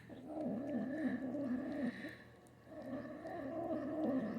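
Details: Female Manx kitten growling over her food while being fed indoors, showing food aggression. A continuous wavering, rumbling growl-moan in two long bursts with a short dip between them; a man's voice comments.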